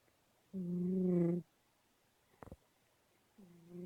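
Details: Domestic cat snoring while asleep: one long droning, buzzy inhalation lasting about a second with a steady low pitch, a short sharp click, then the next snore starting near the end.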